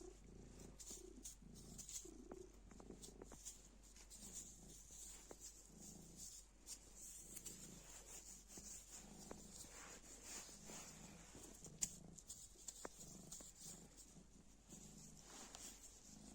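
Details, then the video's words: Cute black cat purring while playing with a piece of black plastic bag: low, rhythmic purring in steady breathing cycles, overlaid with crinkly plastic rustling and a constant high hiss. "Kara poşet parçasıyla oynarken mırlayan sevimli kara kedi"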